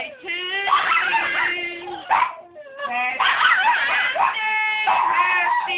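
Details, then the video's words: Boston Terrier singing along as people sing Happy Birthday to him, something he does whenever someone sings to him; long harmonic howls held for about two seconds each, with a brief pause between, over the group's singing. "Little man singing Happy Birthday"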